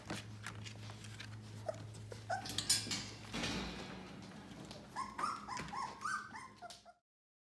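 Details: Yellow Labrador Retriever puppies, 18 days old, indoors: a run of short, high squeaky whimpers near the end, several in quick succession after a quieter stretch of low hum and faint shuffling.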